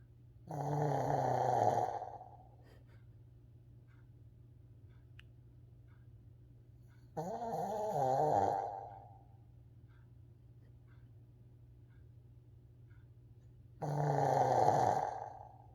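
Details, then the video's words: Coco, a 14-year-old Shih Tzu, deep asleep indoors and snoring loudly, picked up with a Bluetooth microphone: three long rasping, rumbling snores, each lasting about two seconds and coming roughly every six to seven seconds, with quiet pauses between them. "무아지경 강아지 코골이"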